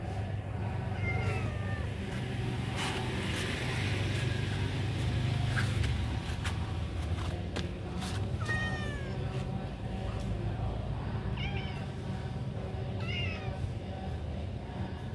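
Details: Mr Noll, a cat, meows repeatedly: brief rising-then-falling mews scattered through the stretch, with a few close together near the end, over constant low-pitched background hum and occasional knocks.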